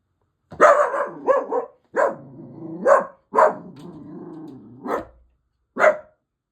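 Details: A grumpy male dachshund gives sharp, grumbling barks in irregular bursts, reacting to noise from neighbours.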